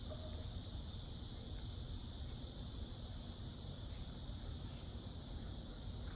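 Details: Seoul forest in high summer, South Korea, filled with cicadas: an unbroken high buzzing band holding steady throughout, a couple of brief brighter chirps near the end, and low murmuring background noise.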